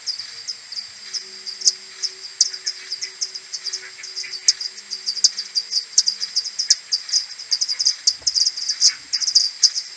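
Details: Morning return of a common pipistrelle maternity colony to its roost, 21 May, AudioMoth 1.1 recording slowed tenfold: rapid bursts of short downward chirps from several bats, sparser at first and growing denser and louder toward the end.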